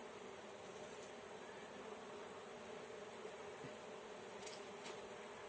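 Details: Steady mid-pitched droning of a honey bee swarm during its capture by a beekeeper, broken by short clicks and knocks late on.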